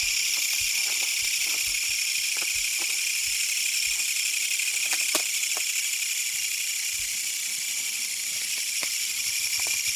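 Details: On a night field outing in Fukuchiyama on 21 August 2022, searching for autumn singing insects, a katydid (Kutsuwamushi, Japanese giant katydid) gives a loud, harsh, high-pitched rattling buzz without pause, with faint ticks and clicks behind; Korean katydid.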